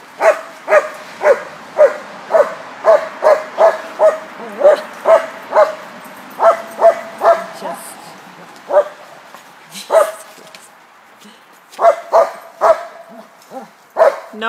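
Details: Bulldog, addressed as a boy, barking at a dog park: a long run of loud, evenly paced barks, roughly two per second, with a short pause and then a final burst of barks. Human voices chime in near the end.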